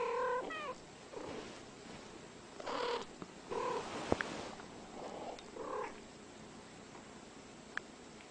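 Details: Two female house cats of about ten years, not related, normally fighting, instead exchanging calls; soft scattered meows and trills separated by quiet gaps, with faint background hiss and a couple of sharp clicks.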